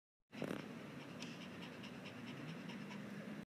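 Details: Puppy panting after a game of fetch, a steady breathy rush of quick, even breaths lasting about three seconds, with faint rhythmic puffs and no other clear sounds.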